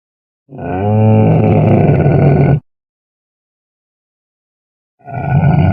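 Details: Camel roaring: a long, deep, rough groaning bellow lasting about two seconds, low and rumbling with strong harmonics, then silence before a second loud bellow begins.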